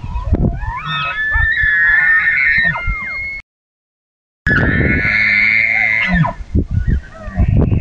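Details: Elk herd at dusk bugling: long, eerie, high whistled notes with layered overtones, sliding up and then held steady, in two drawn-out bugles separated by a break, with low grunting thumps underneath and around them.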